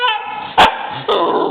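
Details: Female Siberian Husky puppy crying indoors after her owner calls her a crybaby: a drawn-out, high harmonic whine, briefly broken by a sharp yelp-like burst, then resuming with a rougher, wavering tone.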